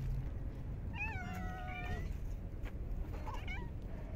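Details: A park stray cat fed in the cold of winter lets out one long, level, harmonic meow, followed by a short higher chirp-like meow, against a low outdoor rumble.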